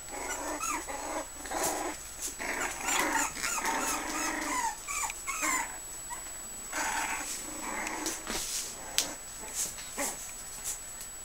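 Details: Puggle puppies, five weeks old, give a busy stream of high whimpers, squeaks and little growls, overlapping and broken by soft clicks and scuffling, over a faint constant high whine.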